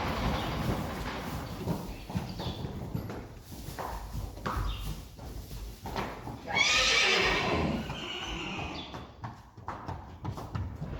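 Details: Friesian horse from a herd, a sport mare ridden again for the first time: a loud whinny rising then falling midway, amid clip-clop of hooves, rustling and brief Dutch speech.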